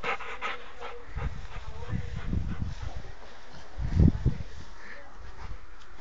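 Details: Rottweiler named Amadis de Gaula, a friendly, playful and affectionate pet dog, breathing in short breathy bursts of panting mixed with low thumps, with brief human speech early on.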